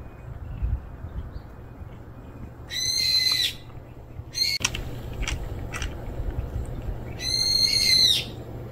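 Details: Stray cat calling with two loud, high-pitched, plaintive meows about four seconds apart. Brief knocks and handling noises fall in between against quiet low hum.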